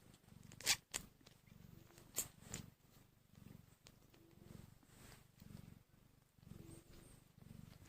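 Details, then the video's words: Newborn kittens, one hour after birth and hungry, give soft low rhythmic purring pulses, roughly two per second, broken by a few sharp clicks and brief rustles near the start. "So Tiny and Hungry Kittens | Making Cute sounds"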